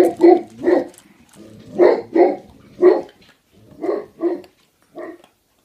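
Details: Great Pyrenees puppy, three months old, at home around feeding time. Deep, harmonic woofs come mostly in pairs, about seven in all, each short and rounded, with brief pauses between groups.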